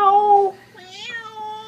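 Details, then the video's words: Domestic cat meowing: a loud steady harmonic note, then a softer wavering rising-and-falling meow with a rich harmonic stack, in a quiet indoor room. "The Talking Cat"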